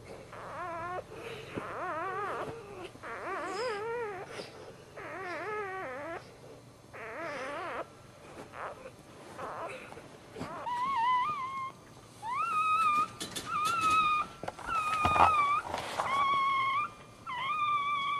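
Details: A domestic dog at home, giving birth while standing, whimpers and whines in a run of wavering, rising-and-falling cries about once a second, then shifts to higher, thin, drawn-out squeals; faint rustling in the background.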